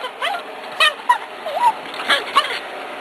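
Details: Cairn Terrier filmed in July 2006 while hunting a gopher, giving high whining yelps that rise and fall in pitch, scattered irregularly with short gaps, over a steady background hiss.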